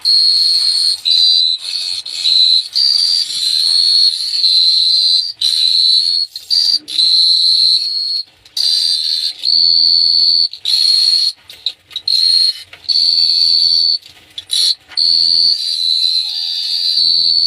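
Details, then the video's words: Night chorus of crickets at Phteah Prey, a shrill continuous high trill broken into bursts of one to two seconds by short gaps, with faint low droning tones underneath in the second half. "The Sound of Cricket Chirping is amazing"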